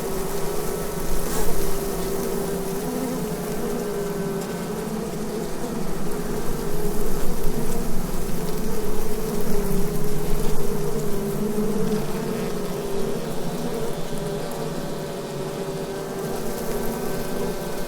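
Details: Asian hornets (Vespa velutina) at their nest in an oak beside the Abruñeiras footpath, Noia, Ría de Noia: a steady, droning hum with layered low tones that swells and fades over eighteen seconds, with a dull low rumble underneath.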